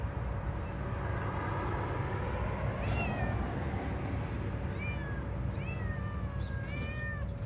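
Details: A cat's repeated meows, each a brief arched tone that bends downward, clustered closely toward the end, set against steady low rumbling and a voice speaking.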